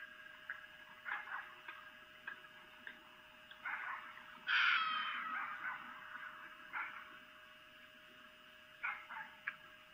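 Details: Vixen, a female red fox, calling for a mate late at night on 3 April 2018 at Lolo, Montana, caught by a camera: scattered short raspy yelps around a single loud, harsh, drawn-out scream, more yelps afterwards.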